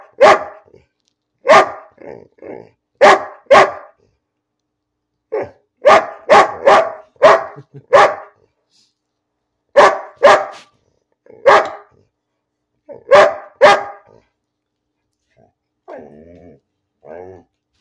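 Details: Indoor pet dog Bean barking without reason: repeated harsh barks in twos and threes, sometimes rapid bursts, with short pauses, and a faint whine and human voice near the end.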